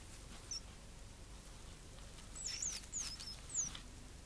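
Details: Pet gerbils named Sugar and Spice, kept indoors: a handful of very high, thin squeaks, short and slightly sweeping, scattered through the second half over a quiet room with faint rustling.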